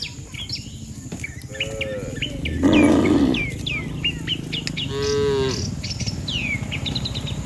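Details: A herd of dozens of cattle gathered in a line on a road, lowing as though calling the herd home. A short low moo is followed by two louder drawn-out moos, while birds chirp and twitter throughout.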